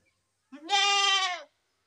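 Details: A single goat bleat, nasal and strongly harmonic, lasting about one second with a short rising onset, then holding steady before fading; otherwise quiet.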